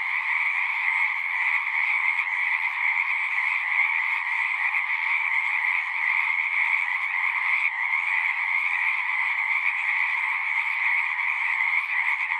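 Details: Chorus of many frogs at a pasture pond, captured on a Zoom recorder; continuous overlapping high trills merge into one steady ringing wall of sound, with a lower buzzing layer and a brief dip near the middle.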